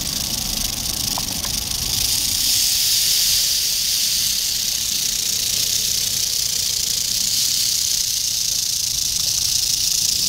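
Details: Eastern diamondback rattlesnake rattling, dated 8-27-11: an intense, high, steam-like buzz sustained at constant loudness for about ten seconds, a few faint ticks near the start.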